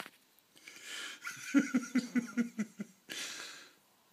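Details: Gizmo, a sleeping Shih Tzu, snoring indoors in a small room: a run of rhythmic, wheezy nasal snorts, about six quick pulses in a row, framed by softer breathy inhalations before and after.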